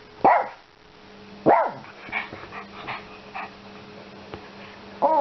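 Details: Yorkshire Terrier joining in with the shopping, letting out sharp high barks about a second apart, with softer muffled sounds between them and a constant low electrical hum behind.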